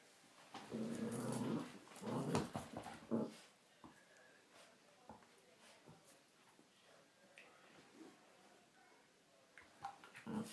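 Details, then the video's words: Female Miniature Pinscher wrestling with her toy inside, opening with a strong stretch of throaty growls around three seconds long, then quieter scuffling, a few soft grumbles and clicks, and a final growl at the end. "Min Pin Makes Funny Noises as She Wrestles with her Toy"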